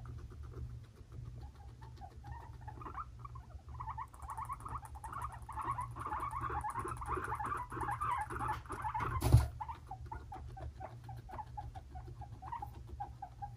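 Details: Two five-month-old male guinea pigs, brothers Fluffy and Cocoa, fighting at home; dense chattering squeaks pulse steadily in the midrange, with a sharp loud click near nine seconds over a constant low hum.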